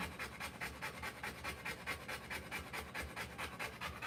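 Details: Rottweiler in labour, giving birth to puppies, panting hard: quick regular breaths around 140 per minute, each a short airy rasp, repeated without pause across the few seconds.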